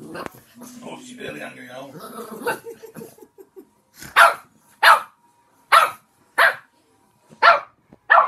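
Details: Boxer puppy indoors barking at a pot of pencils, filmed 7 June 2020. Human speech fills the first three seconds, then six sharp, loud barks follow, spaced under a second apart.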